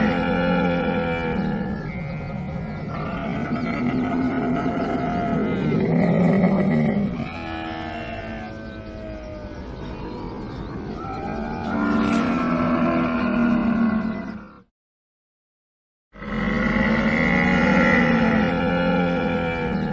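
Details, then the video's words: Camel giving loud, drawn-out groaning bellows with stacked harmonic tones and gurgling rumbles, rising and falling in long surges, broken by a brief silent gap near the end. "Camel sound effect | animal sound effect | camel sound"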